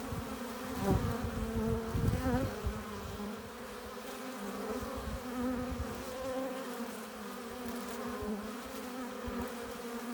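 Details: Western honey bees at a hive entrance, returning with pollen and nectar, make a steady, overlapping hum that swells and fades as bees fly close.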